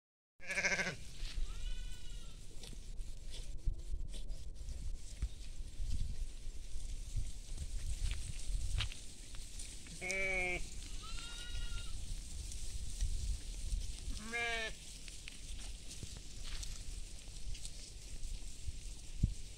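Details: Goats feeding in a field with sheep, bleating in several separate wavering harmonic cries spread across the recording, heard over steady low wind rumble and faint rustling.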